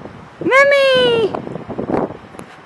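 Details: Siberian Husky puppy Memphis Skie in his first snow, fresh powder after Blizzard Juno on Long Island, NY, jumping and digging; one drawn-out harmonic whine lasting under a second, steady then dipping at the end, with soft rustling and a voice nearby.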